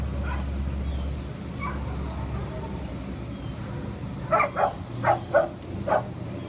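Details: Bulldog up for adoption, filmed 30 September 2015 shortly after 1 pm: after a stretch of low hum, five short, loud barks come in quick succession over about two seconds above a steady background rumble.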